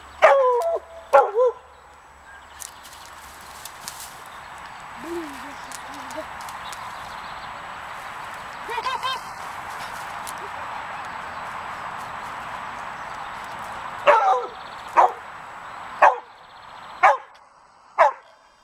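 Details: Laika on guard in a village in late April 2017, reacting to sparrows flying about: a few early barks and a low whine, then a run of five or six sharp, evenly spaced barks near the end, with a man speaking.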